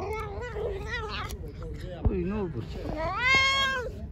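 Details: Hungry, pregnant stray cat, angry and about to attack after being given food, meowing repeatedly: wavering, bending cries, the last one loud, long and rising then falling, while a person calls to it.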